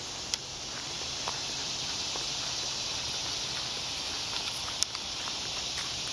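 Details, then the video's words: Cicadas buzzing in the woods during a walk with Lulu: a steady, dense high-pitched hiss drones without a break, with occasional soft footsteps and small ticks over it. "Listening to the Cicadas"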